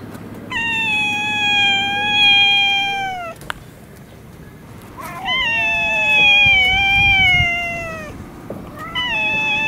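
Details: Stray cats fighting in a Russian city: long drawn-out yowls with rich harmonics, held steady then sliding down, two extended bouts separated by a short pause, a third yowl starting at the end.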